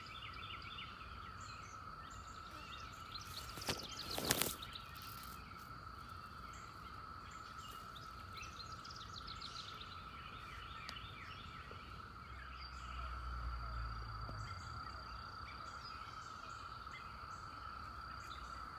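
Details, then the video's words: At the end of May, among flowers, a massed chorus of 17-year periodical cicadas makes a steady, droning hum that never lets up. "Song of the Cicadas"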